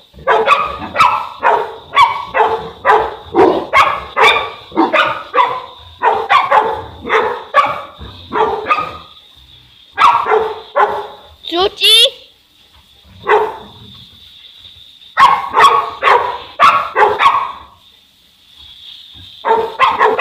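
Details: Boerboel, one of the South African Mastiff couple Enzo and Diva in Egypt, barking hard in repeated clusters with gaps between them; a brief, high, wavering squeal cuts in near the middle, over a constant faint high-pitched hum.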